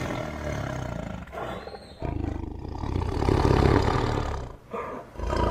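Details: Tiger roaring: a deep, rumbling growl held for about two seconds, breaking off, then swelling into a louder, longer roar that fades and returns in short bursts near the end.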